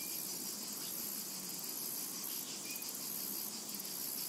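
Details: Shrill cicada buzzing over a summer meadow, pulsing in waves of intensity, with two faint short bird whistles.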